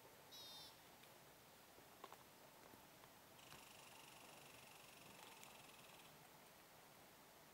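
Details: An American (pine) marten in Wyoming's Cloud Peak Wilderness backcountry on September 15, 2013 gives a brief high squeal, then a longer raspy, buzzing chatter.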